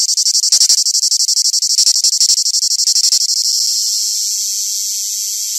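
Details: A cicada sings live in a fast pulsing rasp, high and buzzy, throbbing several times a second before smoothing into a continuous steady hiss for the last two seconds.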